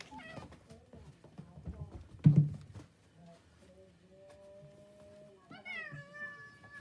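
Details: A domestic cat eating cat grass indoors, with thumps and chewing, then a long, steady, low meow, followed by a higher, bent, plaintive meow near the end.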